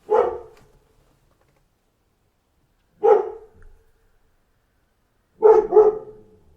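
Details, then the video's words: A dog barks three times, spaced about three seconds apart, the last bark doubled into a quick pair; each bark is short, harsh and full of harmonics, with silence between. "Dog Gone Mad! Wake Up to the Sound of a Barking Dog"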